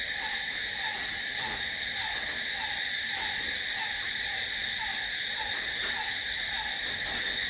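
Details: Night chorus of crickets, a continuous bright trilling hum that never breaks, layered in several high pitches, with a faint lower chirp pulsing rhythmically beneath throughout.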